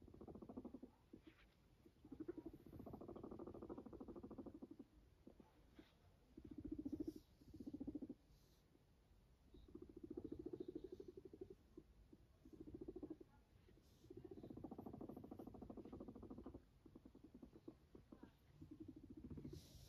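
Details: Pet guinea pig Max, a fluffy sheltie-type cavy, makes repeated bursts of low, rapidly pulsed rumbling, each lasting one to two seconds, separated by short quiet gaps with soft rustles and handling noise.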